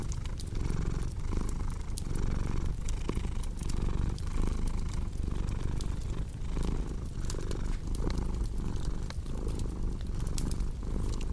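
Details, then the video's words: A deep, rhythmic purr from a cat, each inhale and exhale marked by a gentle rise and dip in the rumble, with light fireplace crackling ticking in the background. "Purring Cat with Cozy Crackling Fireplace Sound"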